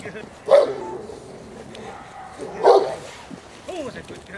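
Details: Female Presa Canario J7's Kelly, Irema Curto line, in protection work on a training field in Germany: two separate heavy barks about two seconds apart over background chatter and a faint whine.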